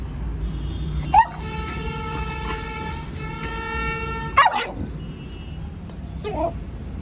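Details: A Rottweiler puppy on a leash during a leash-training session gives two sharp, deep barks a few seconds apart over a steady humming tone.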